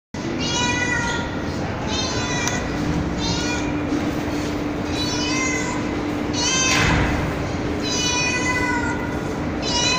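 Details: Street cat and kittens on a terrace at night, meowing after being fed: harmonic, high-pitched meows of about a second each, repeated in quick succession over a steady hum and background noise.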